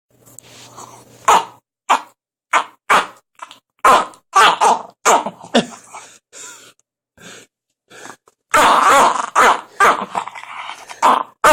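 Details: Biscotti, a Jack Russell Terrier, making strange noises indoors: a string of short rough snorting and groaning bursts, irregular and breathy, with a louder, longer rasping stretch near the end.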